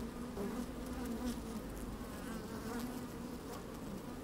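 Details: Inside an open beehive on a sunny, slightly windy day, honey bees moving about the comb make a continuous droning hum, with brief rising buzzes standing out now and then.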